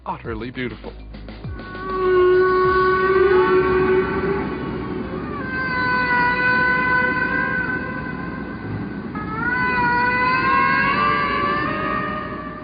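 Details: Humpback whale song recorded in the Atlantic: long, drawn-out tonal moans, held steady and then sliding, over a low rushing background; the song is rhythmic, long, repeated sequences of sounds.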